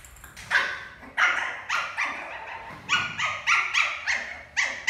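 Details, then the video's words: Milo, a playful adopted Lhasa Apso puppy, playing doggy cricket: a run of sharp, high yips and small barks, about eight quick bursts over five seconds, each with bright harmonic tones, against a quiet indoor background. "Lhasa apso puppy playing doggy cricket"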